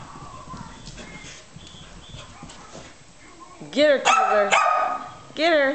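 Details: Adult Pembroke Welsh Corgi playing chase with a female puppy, full of random bursts of play; soft shuffling and a person cheering, then several loud, high barks rising and falling in pitch, spaced under a second apart.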